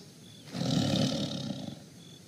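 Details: A tiger in a forest gives one deep, rough roar lasting about a second and a half, strongest in the low range with a breathy upper layer, rising quickly and then fading, against a quiet background.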